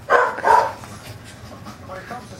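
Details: Eight-and-a-half-week-old corgi puppy roughhousing with its mother, licking and nipping; two quick yelping barks open the recording, then quieter rustling and faint vocal sounds.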